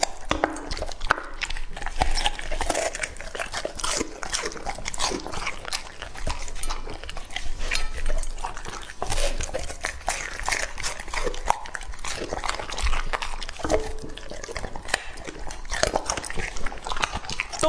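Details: Lucky, a two-and-a-half-year-old male English-type Labrador Retriever, eats raw meat indoors, with dense crunching and wet chewing bursts crackling steadily through the whole stretch.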